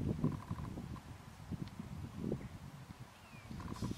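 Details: A red deer stag gives deep, rough roaring bursts during the autumn rut at Tatton Park in October 2015, with a faint higher piping behind.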